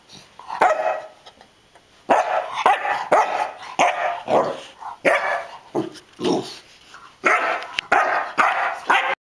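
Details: An 11-week-old English Springer Spaniel puppy fearlessly attacks an alligator-head souvenir, giving short, sharp barks in quick, uneven bursts.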